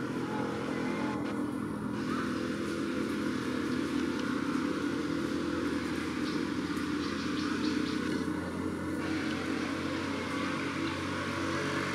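Steady vehicle engine noise and traffic rumble, with no animal calls.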